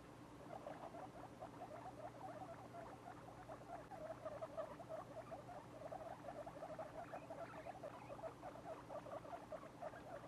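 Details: Two-week-old domestic guinea pig babies, a litter still small for their age, giving soft, low chirping notes in a rapid, continuous patter of about five or six per second, with a faint steady hum behind.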